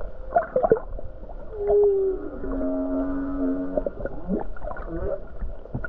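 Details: A humpback whale near the Hawaii coast, on a calm day with many whales about, sings sustained, slightly wavering moans stepping between low and middle pitches, with grunts, creaks, clicks and gurgling pulses around them.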